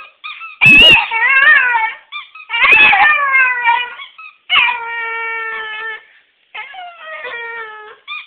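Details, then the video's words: A Schipperke gives long, wavering moans with whiny, rising and falling tones, pausing briefly between them, in a talk-back game she plays when her owners get home for the day. "Schipperke moan"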